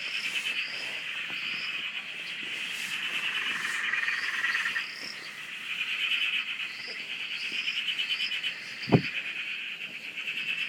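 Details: Australian dam frogs in full chorus near a shack: layered, buzzy trills swelling and fading, short rising chirps repeated over them, a single loud thump near the end.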